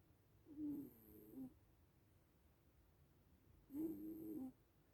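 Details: Sleeping little cats, a black cat and a white cat, snoring softly: two low, buzzy, harmonic snore breaths about three seconds apart, each lasting close to a second, with a faint high hiss over each breath and quiet stillness between.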